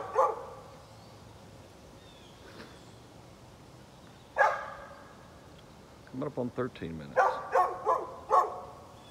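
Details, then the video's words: Neighbor's dog barking in the morning, recorded 13 November 2020: a single sharp bark, a pause, then a rapid string of short barks followed by several louder spaced barks, over a steady background hum. "Neighbor's barking dog"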